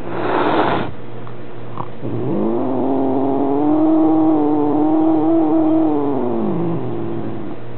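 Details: Maine Coon tomcat at home grumbling over a visiting new kitten, filmed with a Minolta Dimage XT: after a brief rustle, one long, even, mournful yowl swelling and fading over about four and a half seconds.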